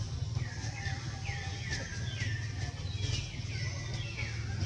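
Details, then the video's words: Small baby monkey Jody crying while his mother Jane moves close and tries to save him; a series of high, tonal cries, each sliding downward, repeats about every second over a steady low rumble. "Small Jody Crying break sound"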